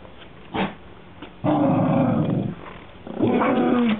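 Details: Whippet Maisey growling at her sister Poppy, almost begging her to play in one of her favourite games; two long rough growls with a harmonic whine, the first about a second long, the second ending on a higher note, after a brief yelp.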